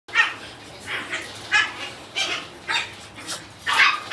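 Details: Puppy weighing two kilograms giving high, short yips and whiny barks, about seven in four seconds, each a brief bright squeal, in a quiet setting.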